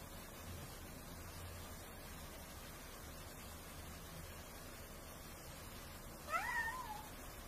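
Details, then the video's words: Hungry cat asking for food: a single rising-then-falling meow near the end, after a long stretch of steady low background hum and room noise. "Food Please, I'm Hungry..."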